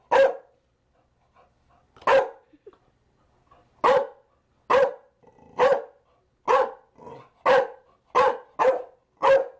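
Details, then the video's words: A Chow Chow barks repeatedly, about eleven short, punchy barks in under ten seconds, irregularly spaced and quickening toward the end, with faint soft vocal sounds in the pauses. "Chow Chow barking"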